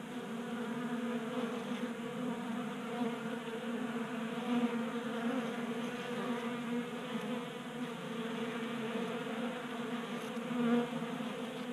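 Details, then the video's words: Honey bees crowd a tabletop 3D printed feeder in a Colorado garage in January, burning winter stores in late heat; steady thick buzzing drone with shifting overtones and a short louder pass near the end. "45 Minutes of Honey Bees Feasting from 3D Printed Bee Feeder ASMR"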